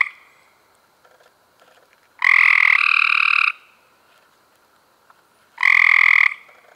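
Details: Trilling Cope's gray treefrogs in May 2016, giving two strong, rapid, buzzy trills more than three seconds apart, one longer than a second, with faint clicks and murmurs in the quiet gaps.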